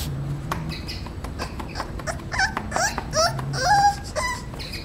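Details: Male English Bulldog puppy named Romeo, 38 days old, whines in short rising and falling squeals that end in one sustained, clearer whine, with a faint low hum underneath.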